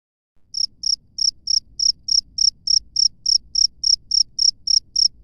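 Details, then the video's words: Wild cricket calling in the open, a clean high-pitched chirp pulsed about three times per second in a steady train after a brief silent start, with faint low rumble beneath. "SUARA JANGKRIK LANGSUNG DARI ALAM BEBAS"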